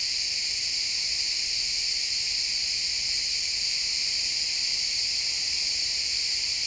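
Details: Many crickets chirp together at sunset among pine trees, producing a constant high-pitched ringing wash with stacked bright tones, even in loudness, over a quiet faint hum of forest ambience.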